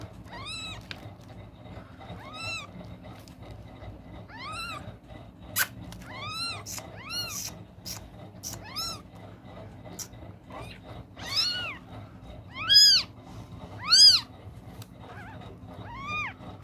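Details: Three newborn kittens with eyes still closed, one searching for its mother's milk, recorded indoors on a Saturday night at 23:00; high arched mews repeat roughly every second or two, some louder and overlapping, over a low steady background hum.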